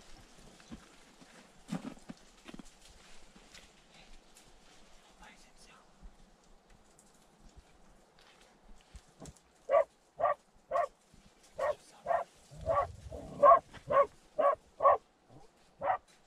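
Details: Terrier in a badger tunnel; faint murmuring and scattered knocks for the first nine seconds, then sharp, clipped barks start and repeat roughly twice per second to the end, with a low rumbling burst midway.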